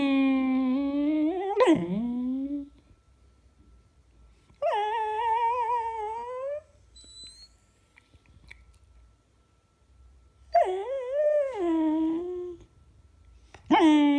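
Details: Beagle indoors in a small room, recorded February 19, 2016, giving long harmonic whining calls that rise and waver, three drawn-out moaning bursts of two to three seconds separated by quiet pauses, with a short rising yelp at the end.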